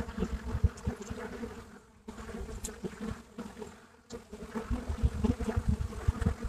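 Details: At a hive entrance in Brittany, France, Buckfast bees produce a thick, low, droning buzz with humming bands; loud close fly-bys come and go, with two brief quieter dips near two and four seconds.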